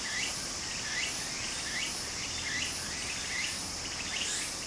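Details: Summer cicadas by a Japanese stream, a ceaseless high-pitched drone with brief upslurred chirps recurring roughly every second, set against steady flowing water.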